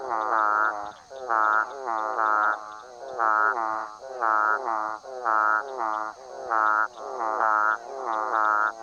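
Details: Central dwarf frog (Physalaemus centralis) giving short nasal, harmonic-rich calls, repeated about once a second.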